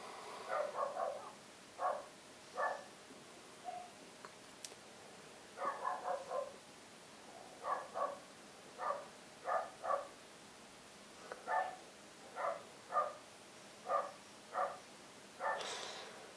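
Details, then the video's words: Dog barking repeatedly at night on New Year's Eve, short sharp barks in irregular bursts of one to three, roughly every second, over quiet background, with a brief higher rasping sound near the end. "Dogs Barking"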